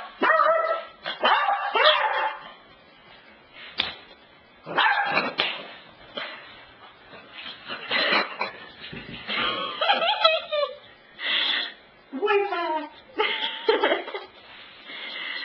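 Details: Cassidy the pet dog vocalising at the couch in a long varied bout: sharp barks, warbling whines and yips with rising and falling pitch, delivered in bursts with brief pauses over fifteen seconds.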